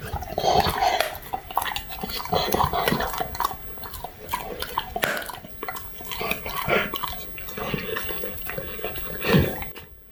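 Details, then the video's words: Labrador Retriever named Ato crunching on duck wings, with a rapid series of sharp, dry crackling bites and chomps through the whole stretch, and a brief mid-toned tonal sound near the start. "오리 날개 먹는 강아지ASMR(Puppy eating duck wings)"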